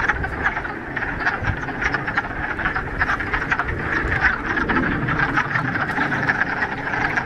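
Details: Pond frogs in the Ramapo Mountains on the first warm day of spring, still mid-March, after a week of rain: a continuous chorus of rapid, overlapping croaks forming a steady pulsing trill.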